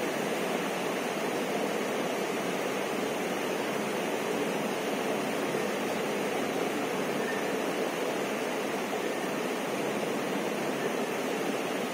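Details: Steady broadband rushing like a waterfall or stream fills the whole stretch, with no animal calls.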